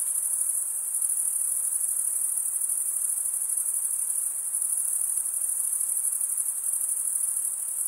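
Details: Crickets, the males chirping by scraping wing against serrated wing, produce a relentless thin high-pitched trill, dense and even, with no breaks or other creatures heard.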